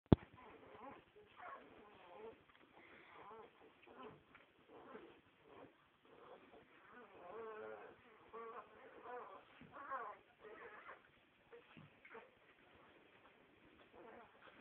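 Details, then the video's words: Nine-day-old Staffordshire bull terrier or bull terrier puppies, a litter making repeated short squeaky whimpers and squeals in bursts, some wavering and nasal, over a low rumbling background with occasional soft handling noises. "9 dagen oud staffordshire bull terrier/bull terrier pups"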